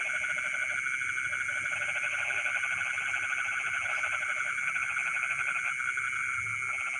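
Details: Frog chorus from rice fields late at night: repeated rattling croak bouts, several per seven seconds, layered on a constant bright whining trill chorus and a faint high insect-like hiss.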